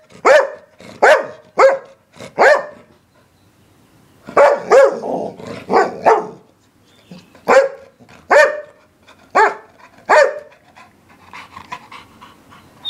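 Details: English Springer Spaniel barking in quick bursts of three to five sharp, rich barks, with short pauses between groups and a brief quieter stretch near the middle; roughly fourteen barks in all.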